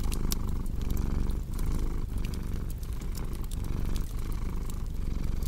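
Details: Cat's continuous low purr, rising and falling in breath-paced waves, with sharp fireplace crackles scattered throughout.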